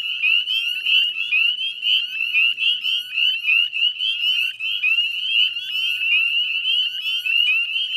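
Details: At dusk on a May evening in 2020, a wetland chorus of northern spring peepers at West Chezzetcook salt marsh, Nova Scotia, Canada: piercing, rising whistled peeps overlapping nonstop, with a faint low drone in the background.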